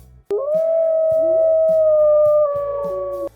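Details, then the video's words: Wolf howl played as a quiz answer: one long, smooth, tonal howl that rises briefly at the start and then holds a steady pitch for about three seconds, sinking slightly at the end, over a faint low rhythmic background. "c'était le hurlement du loup le loup hurle prêtez bien attention à ce son"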